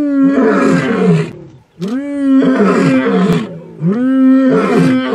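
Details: Young male lions of a coalition, wild in the Masai Mara, Kenya, returning to take over their fathers' territory; three loud, deep roaring calls about two seconds apart, each rising then holding steady, with a brief quiet gap between.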